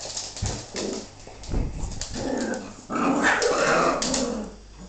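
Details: A female bull terrier tussles with her pups. Throaty growling and snarling rise and fall, and a noisy scuffle swells near the end. A human voice sounds briefly over a low background hum.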